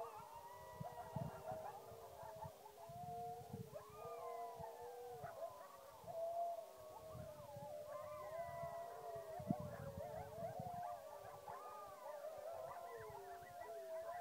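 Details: Coyotes and dogs howl together at the moon in a wavering chorus of overlapping, sliding tones.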